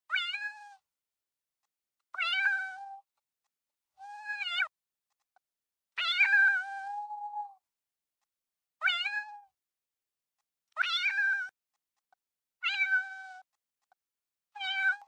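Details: Cat. A domestic cat gives a series of about eight meows, spaced unevenly every one to two seconds. Each one starts bright and nasal, then slides down into a lower, sustained moan.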